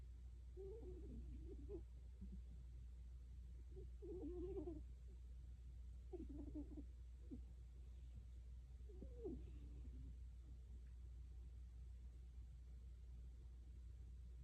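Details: Sleeping cat snoring softly, with low, gurgling breath sounds coming in short clusters roughly every two to three seconds over a steady low hum.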